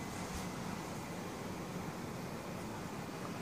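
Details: Even broadband hiss and low rumble like distant traffic, with no animal call heard.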